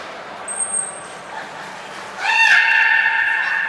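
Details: Beluga named Nana, training session at Nagoya Port Aquarium, 13 April 2019: a high thin whistle tone, then a sudden loud, upward-sweeping harmonic call held steadily to the end.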